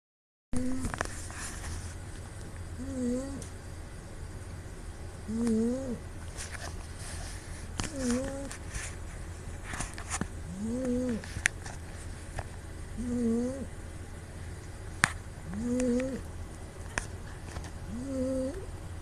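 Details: Female pet cat named Puu snoring in her sleep, recorded on a smartphone; a nasal, squeaky tone rises and falls with each breath, about every two and a half seconds, over a low steady rumble with faint background hiss.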